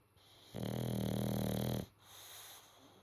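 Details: Sleeping Boxer pup snoring, a single long, loud, rumbling snore of about 1.3 seconds with rich low harmonics, framed by soft breaths and a quiet room.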